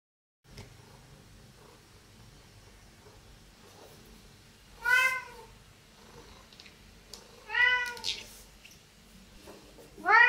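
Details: Domestic cats at a breakfast table indoors; three separate meows at roughly three-second intervals, each a short arched wail with rich harmonics, over a low steady room hum.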